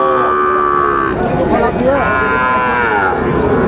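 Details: Sahiwal bull calves for sale at the Aftabganj cattle market in Dinajpur, Bangladesh, on market day, 1 July: long droning harmonic moos overlapping from several animals, with traders talking and haggling over prices throughout.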